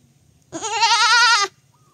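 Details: Single loud bleat from a baby goat, a steady, slightly vibrating cry lasting about one second against a quiet background.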